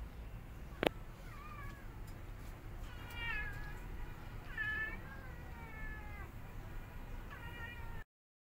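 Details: Domestic cat, a mother with her newborn kittens, cuddling them for comfort. Five thin, harmonic meows rise and fall over several seconds, spaced roughly a second or more apart, over a quiet hiss with one sharp click early on.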